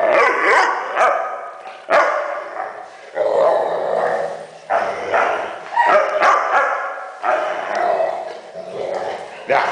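A Weimaraner makes a run of whiny, yodeling grumbles and yips, rising and falling in short bursts.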